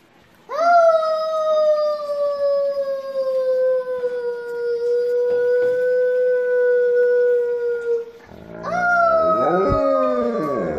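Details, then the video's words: Benz, an Alaskan Malamute, howls indoors in a family choir, singing along with the family. One long, steady, tonal howl holds for about seven seconds and drifts slightly lower. Near the end, several voices overlap with wavering, sliding tones. "Dog Singing | Alaskan Malamute make choir with Family"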